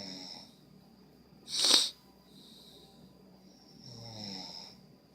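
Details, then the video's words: Sleeping dog Angel Bear gives a sudden sharp snort-like burst, then quiet breathing, then a softer rasping snore near the end, in a quiet room with a faint high tone. "Here's more Angel Bear snoring"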